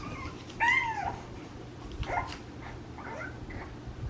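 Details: French Bulldog puppies: a rising-falling whine near the start, then softer squeaks and whimpers, over steady background hum.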